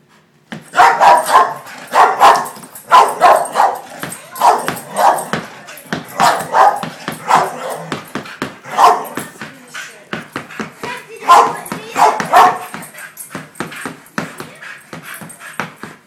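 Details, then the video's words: Wheaten terrier, a pet dog, spinning around while giving a long run of short, sharp barks and yips, several per second in bursts, with brief pauses between groups. "Wheaten terrier spinning dog"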